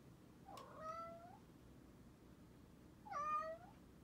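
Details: Male house cat, Bengal or Munchkin, spending the night in a supposedly haunted closet room. Two plaintive meows roughly two and a half seconds apart, each swelling upward then sliding down, in a quiet room with faint background hum.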